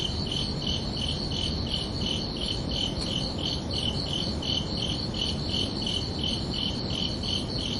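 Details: Summer-evening crickets at night give regular, high-pitched chirps in a steady rhythm, layered over a dull, constant background rumble.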